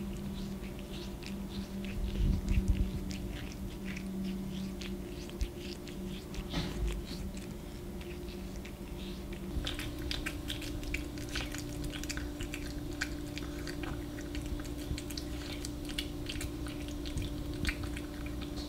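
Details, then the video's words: A cat called The Dark Lord chewing indoors in ASMR style: irregular crisp crunching clicks and soft mastication noises throughout, over a steady low electrical hum. "My Cat Does ASMR!"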